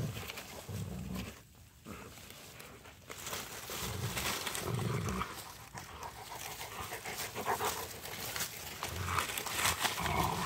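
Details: Three Rottweilers at play with a stick outdoors in light snow. Intermittent low growls alternate with heavy panting and rustling movement, with a brief quieter pause near the start.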